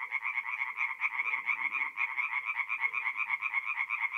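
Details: Tree frogs at a north-east Italian forest pond on an April night, calling in quick rhythmic croaks that throb about twice a second, layered into a dense chorus; quieter low murmurs from other frogs underneath.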